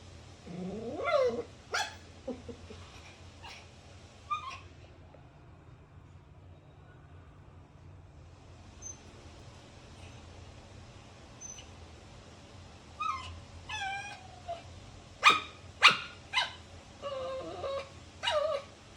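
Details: Dog giving scattered yelps and wavering whining cries, then a quiet stretch, then a burst of rapid, sharp, high yips toward the end, with a low background hum throughout.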